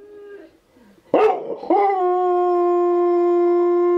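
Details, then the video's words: Husky and German Shepherd cross dog howling in response to wolves howling; a faint steady tone opens, then a short noisy burst gives way to a loud, sustained, level howl with rich overtones held to the end. "Husky X GSD Responds To Wolves Howling"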